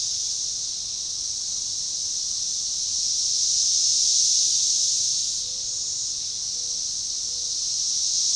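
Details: Massed periodical cicadas, Magicicada tredecassini, synchronizing their chorus near DeValls Bluff, Arkansas on June 7, 2015; a constant high hiss peaks strongly around the middle, then eases and starts to swell again.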